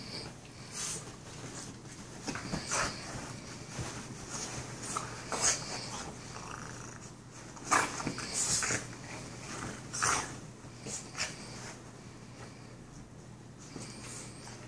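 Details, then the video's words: Two Boston Terrier brothers playing together indoors, giving irregular bursts of breathy, hissing snorts and huffs, about two dozen a minute, with scuffling between them in a small room. "Boston Terrier Brothers Playing Together"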